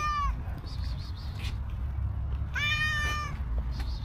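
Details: Stray cow cat seeking affection from a person, with a short meow at the start and a second fuller, slightly arching meow later, amid continuous low outdoor rumble and faint chirpy background noises.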